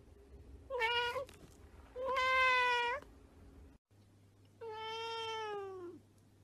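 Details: Domestic cat meowing three times: a short mew, a longer steady meow, then a drawn-out call that drops in pitch at its end, with a low electrical hum in the background.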